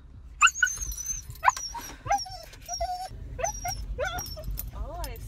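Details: Female dog growing excited after hearing the words "dog park": a run of short, high, tonal whines that rise and bend, some sharp yelps, and a wavering whine near the end, over a low steady hum.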